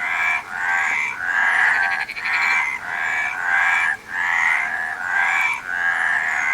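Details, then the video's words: Frogs calling together in a thick, grating chorus. Pulsed croaks of mid pitch surge in roughly one-second waves, with a brief high rattling tick near the middle. "Frog Sound"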